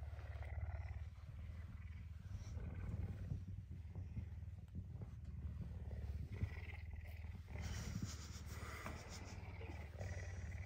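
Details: Pet puma, very hungry and ready for breakfast, unusually affectionate and up early on a Tuesday morning, gives a continuous deep throbbing purr with occasional faint higher noises and rustling.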